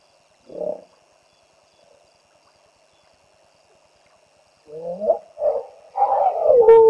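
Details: Territorial hippopotamus confronting a trespassing hippo on the banks of the Olifants River, greater Kruger National Park; one short grunt, a long quiet pause, then a rapid run of loud nasal honks and wheezes rising in intensity.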